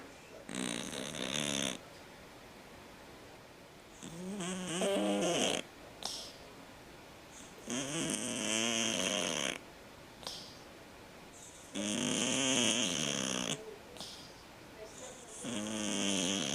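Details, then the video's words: Sleeping domestic cat snoring loudly like a man, long rasping breaths with harsh buzzy overtones repeating every three to four seconds, quiet pauses between each snore, indoors. "Кот храпит как мужик"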